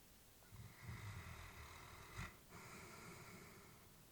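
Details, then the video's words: Elderly female Labrador Retriever asleep indoors, a low rumbling snore building then a short sharp snort, followed by a long airy exhale; peaceful, quiet surroundings. "Elderly dog sleeping with breathing sounds"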